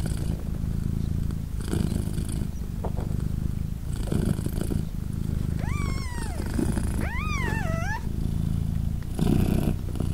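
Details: Purring British Shorthair mother cat Polina with three three-day-old kittens nursing; continuous deep rumble with breath-timed surges, while a kitten gives two thin rising-and-falling mews near the six- and seven-second marks.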